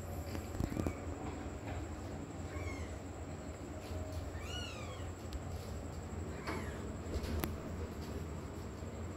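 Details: A kitten trying hard to cross hurdles while looking for its mother cat, giving several high, thin meows, rising then falling, spaced a second or more apart, with steady low background rumble and occasional clicks.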